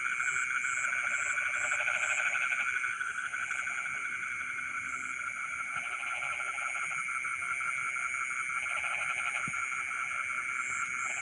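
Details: Frogs singing in rice fields in the middle of the night, bursts of buzzy pulsed croaking every few seconds amid a steady whining insect background and intermittent short high chirps.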